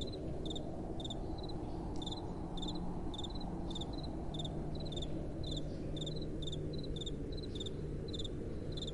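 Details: At night, crickets give regular high chirps of a few rapid pulses about twice per second, two pitches alternating, against a steady low rumble of gentle wind.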